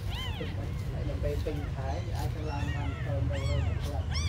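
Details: Small abandoned kittens give arched, wavering meows at the start and end, with lower murmuring sounds between, all over a steady low rumble.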